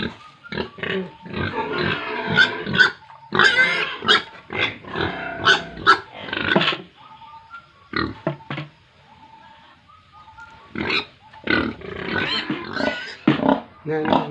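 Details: Pigs and piglets at a farm in Tripura, India, with bursts of noisy grunting and squealing separated by quieter gaps where a few faint tonal squeaks sound.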